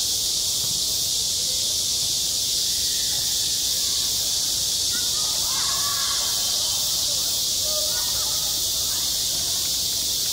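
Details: Steady, piercing drone of many cicadas at a school sports ground in midsummer, unbroken from start to finish, with scattered distant children's voices in the middle.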